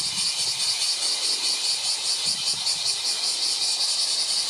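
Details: July 19 recording of a bear cicada chorus: an intense high-pitched metallic buzz throbbing in quick steady pulses, more than two per second, filling the whole stretch, with a soft low murmur underneath.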